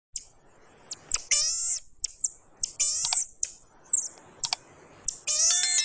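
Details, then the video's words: Pygmy marmoset calling with very high, thin whistles, some held and some sliding down, mixed with short harmonic chirps and sharp clicks in quick bursts; quiet background. "The voice of a pygmy monkey"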